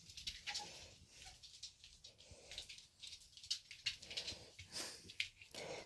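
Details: Minky, a female Pembroke Welsh Corgi indoors, wanders with a treat after her owner comes home, whimpering because she cannot decide where to hide it; soft, faint whines rise between dense clicking of paws and nails.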